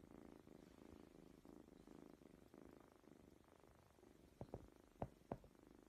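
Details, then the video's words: Cat or kitten purring in rhythmic rumbling waves, each breath cycle under a second long, followed near the end by a few sharp tapping knocks. "The Best Cute Funny Kittens Cats Videos Compilation. Enjoy the Meowing and Playing"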